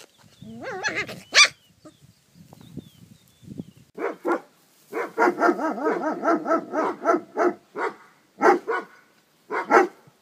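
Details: Maremma Sheepdog puppies yapping in short, high-pitched bursts. A few squeaky yelps come first, then a quick run of harmonic barks about twice a second, trailing into scattered single yaps.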